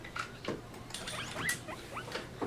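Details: A female pet guinea pig gives short, high squeaks and squeals in quick, uneven bursts, heard over a thin telephone line during a radio call.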